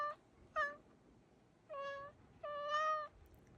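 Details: Black cat calling eagerly at a crow outside the window; four thin, tonal meows, two short ones then two longer level ones, in a quiet room.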